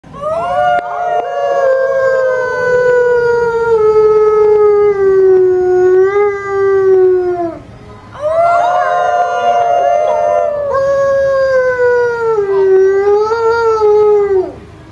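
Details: A white Arctic wolf gives two long, steady howls that slide gently downward at the end.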